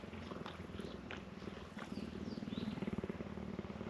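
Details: Cheetahs at a conservation centre in South Africa purr while licking and grooming each other; a low, rapid rumbling pulse grows steadier and louder in the second half.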